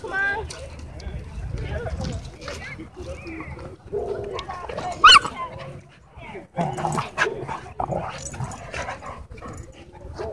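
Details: Dogs at a dog park, happy play broken up by a dogfight; sharp barks and yelps burst out among steady human talk, with a loud cry near the middle and busy crowd noise throughout.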